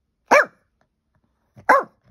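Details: Pet dog barking at nothing, recorded on an iPhone in April 2023: two loud, abrupt barks about one and a half seconds apart, with quiet between them.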